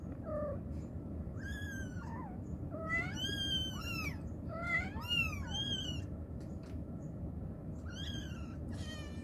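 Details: Mother cat calling her kittens with a rapid, dense series of meows, bright harmonic cries rising then falling and often overlapping, about two each second, over a low constant hum.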